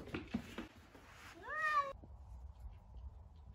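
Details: Domestic cat giving a single short meow, rising then level, lasting about half a second, after some soft rustling and knocking indoors; quiet room afterward.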